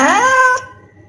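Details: Cat giving a single short meow, a bright harmonic cry that rises slightly and cuts off after about half a second, leaving a low steady hum.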